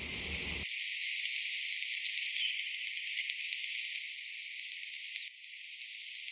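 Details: Atlantic white-sided dolphins recorded by hydrophone underwater: many high, rapidly sweeping whistles rising and falling over one another, with dense clicking in the background and a brief low rumble at the start.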